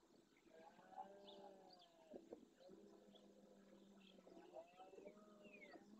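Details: Red deer stag roaring at dawn during the rut in the Doñana National Park marshes, Andalusia, Spain, beside the Francisco Bernis centre with a herd of females and young, courting hinds and warning rival males off his harem; three drawn-out, deep harmonic roars, small birds chirping behind.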